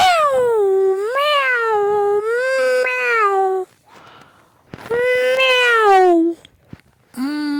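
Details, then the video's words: Domestic cat giving long, loud wavering meows that rise and fall in pitch like a drawn-out yowl, two extended calls over several seconds, then a short start of another, indoors. "cats and with sounds animals video"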